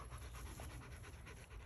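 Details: Drummer, a family protection dog in obedience training, panting steadily: quick, breathy, rhythmic puffs about five or six per second, over a low rumble of wind noise.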